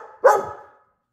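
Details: Pet dog at night giving one sharp, loud bark that trails off quickly after a moment of soft background sound.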